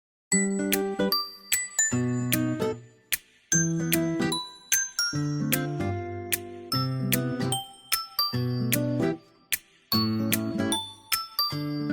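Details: Tinkling chime melody in repeated phrases, with brief pauses between them and no animal sound.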